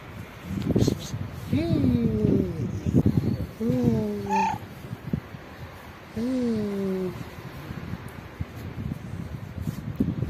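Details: Pregnant black street cat, unhappy at having her belly touched, gives three drawn-out, slightly falling mid-pitched meows with a short break between each. A voice softly calls to her at the start, and faint rustling is heard throughout.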